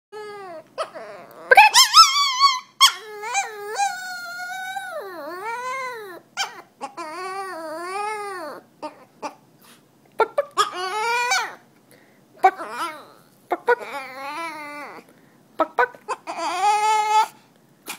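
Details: A dog scared of chickens, crying out in long high whines and yelps that rise and fall, in uneven bursts with short silences between, indoors-sounding and without other clear sounds.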